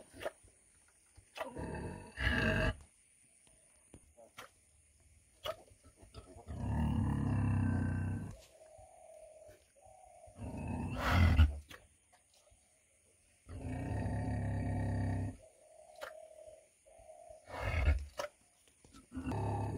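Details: A 100 kg sow makes long, deep, throaty grunts lasting one to two seconds, roughly every three to four seconds, interspersed with sharp knocks and brief snorts.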